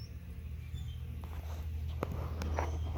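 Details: Western honey bee (Apis mellifera), hive hum.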